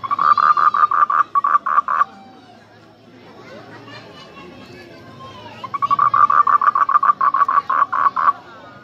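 A frog calls in rapid bursts of short, harsh pulses, pausing between runs.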